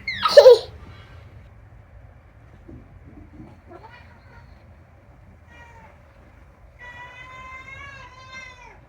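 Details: Rescued domestic cat chatting: a sharp noisy burst at the start, then a faint short meow and a longer wavering harmonic meow near the end, in a quiet room.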